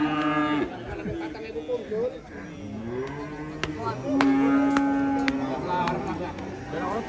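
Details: Cattle kept by Indonesian breeders let out several uneven moos, including a long, steady, level low call near the middle, mixed with sharp clicks and knocks and faint voices.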